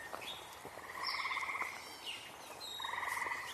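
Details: Frogs calling outdoors on 14 June 2025: two short, fast pulsed trills, each about half a second long, set against a noisy background with scattered high whistled bird notes.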